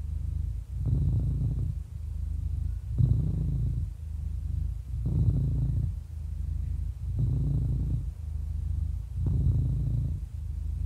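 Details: Happy 11-year-old cat purring: a steady low rumble that swells into louder, rougher bursts about every two seconds with each breath, five surges in all, with no other sounds.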